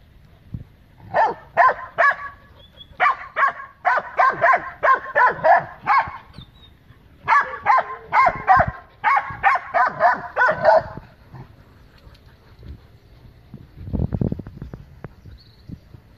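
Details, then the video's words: Great Dane with other dogs defending their yard at the gate against loose dogs that came to make trouble; two long runs of rapid, harsh barking, several dogs overlapping, then a lull with a low thud near the end. "My Great Dane And Friends Defends My Yard From Invaders"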